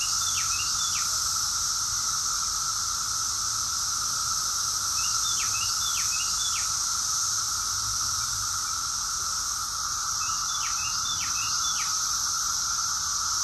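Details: Cicadas singing together in Rockville, Maryland, USA, June 2021, a loud unvarying high buzz layered over a steady lower drone, with three separate clusters of quick downward bird chirps at the start, middle and late.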